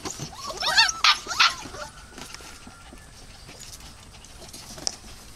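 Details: Dog producing three quick, loud, high yelps within the first two seconds, then near quiet with only soft background noise and a faint thin tone.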